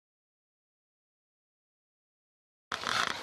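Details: Near silence for most of the stretch, ending in a short burst of broadband noise with no animal voice.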